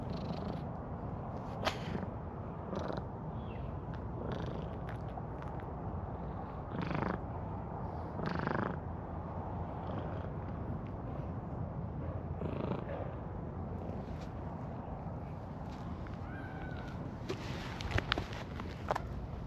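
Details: Stray calico cat posing before the camera to show off its heart-shaped coat marking, purring in a steady low rumble that runs unbroken for about twenty seconds, with occasional soft rustles and small clicks over it.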